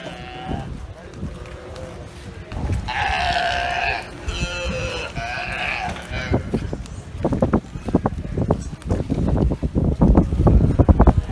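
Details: Galapagos sea lions on a commandeered barge, in what is described as a burping contest. Deep, bleating, harmonic belch-like calls around the middle, then bursts of lower grunting and rumbling with background thumps toward the end.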